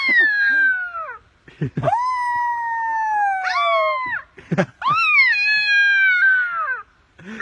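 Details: Adopted coyote pup, taught by its owner to howl, gives a run of drawn-out tonal howls that rise briefly then slide downward, about four in seven seconds, separated by short breaks with a few soft yips between.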